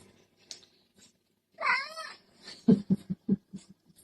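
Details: House cat uttering a rising then falling "mama"-like meow of about half a second after a quiet start, followed by a quick run of low knocking thuds, while people laugh and talk in a small room.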